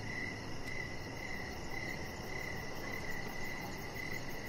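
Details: Chirping crickets on an evening outdoors near a deck, pulses repeating steadily about twice a second, a faint tick early on, all over a persistent low rumble.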